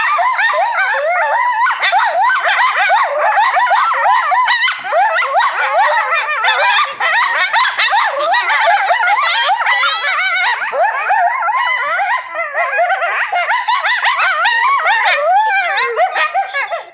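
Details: Several coyotes at the Alaska Zoo in Anchorage howl and yip together in a wavering, overlapping chorus of high, sliding notes; group howl.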